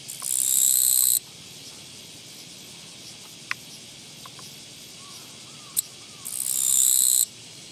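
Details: A Japanese katydid found beside a walking path on 24 August 2017 sings two loud, dry buzzing bursts about a second long, one opening the clip and one near its end, with faint chirps and a short tap between them.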